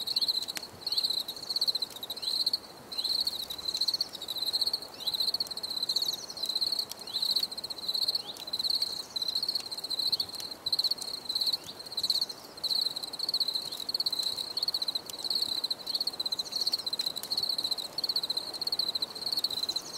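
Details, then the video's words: Repeated high-pitched cricket chirps, evenly pulsed bursts of about half a second with short pauses, forming a steady rhythmic night chorus with light clicks behind. "Bruit de Grillons Pour la Relaxation Anti Stress"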